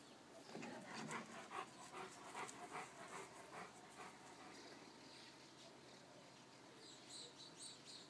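A Rottweiler pants and snuffles in quick, breathy bursts, roughly two or three each second.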